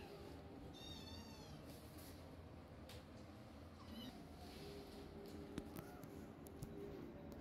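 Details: Kitten meowing at its mother, demanding milk as she tries to wean the litter: a wavering high-pitched mew early on, a fainter second cry a few seconds later, over a steady low hum with occasional taps.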